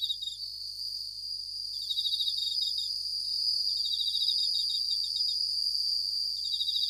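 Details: Suzumushi, the Japanese bell cricket, singing at night: a few quick pulsed trill bursts at first, then a sustained bright high-pitched ringing that swells slightly and holds steady.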